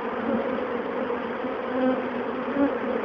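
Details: Over 20,000 western honey bees stream in their thousands into a box while being removed alive from a colony in a bird box, making a dense, steady, loud and unbroken hum.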